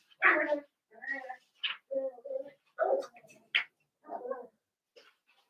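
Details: Young blenheim Cavalier King Charles Spaniel puppies, part of a New Year's litter of five, indoors in their pen: a quick string of short squeaky yelps and whimpers with brief sharp high squeals between, fairly soft.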